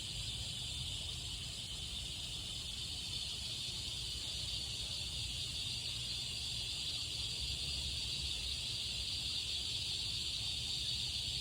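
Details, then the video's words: Cicadas singing in summer: a steady, unbroken buzzing drone held high and bright throughout, with a second thinner hiss above it and a low rumble underneath. "Cicadas singing"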